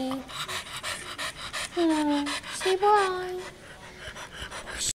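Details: Young bulldog Leilani, eager for a playmate, pants rhythmically, then breaks into two falling, drawn-out whines in the middle of the clip before panting resumes.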